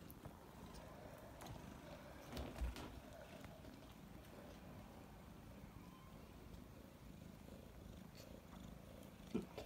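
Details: Domestic cat mother feeding her three-week-old kittens, purring continuously; deep, even rumble with a couple of soft bumps and faint rustling nearby.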